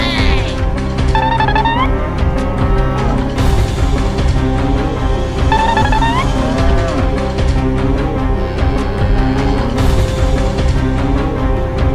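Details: Loud traditional West Javanese troupe music with droning tones and rising flute-like slides, with no animal sound heard.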